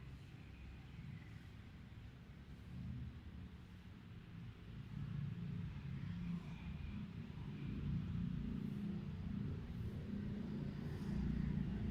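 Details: A steady low engine rumble grows louder toward the end, with no animal calls heard.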